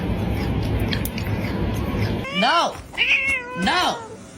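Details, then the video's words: Screaming cat: after a noisy stretch, three loud harmonic cries that rise and fall in arched sweeps, each under a second, with a person's voice earlier. "Screaming Cat"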